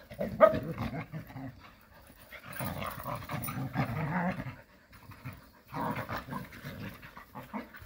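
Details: Several Jindo dogs at play in rural Korea: bursts of rough, breathy panting and low huffing come in two main bouts separated by a near-silent pause.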